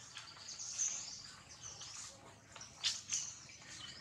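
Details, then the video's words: Baby monkey Jinx crying loudly after being bitten hard by another monkey, Jade: high, thin squealing cries with arching contours, interrupted by sharper screeches around the middle, over a soft, steady background hiss. "Pitiful, Jade bites baby monkey so hard, Jinx is crying loudly"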